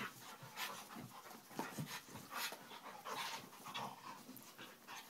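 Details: Play-fighting dogs at home, one of them Vinnie, huffing and panting hard; short breathy bursts tumble over one another with low scuffling thuds underneath.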